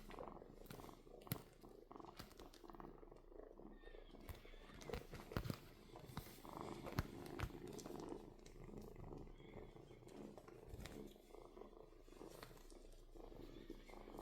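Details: Purring kitten, a continuous low vibrating rumble with rapid fine pulsing, steady throughout, broken by occasional sharp clicks and handling rustles close by.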